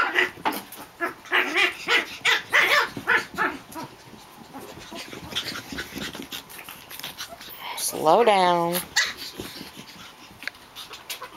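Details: Japanese Chin puppies playing: a person talks over light scuffling at first, then one puppy gives a loud, wavering, whining yelp, followed by softer yips and shuffling.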